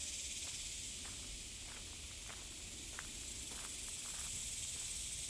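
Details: Cicadas sing in a steady, high, hissing drone in the trees on Cicada Trail, LLELA Nature Preserve, Lewisville, Texas, woodland in mid-July in the 80s °F, with footsteps crunching along the trail.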